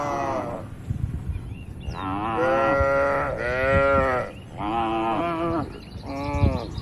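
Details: Tame cattle on a wide oil palm plantation in Indonesia, grazing and roaming as a herd; several drawn-out harmonic moos, each about one to one and a half seconds, rising then falling, with short gaps and faint background noise.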